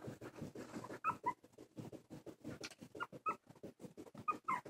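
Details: Two silky terrier puppies, 19 days old, eyes recently opened, taking wobbly first steps indoors; short high squeaks come in quick pairs three times, over a steady soft patter and rustling of bedding.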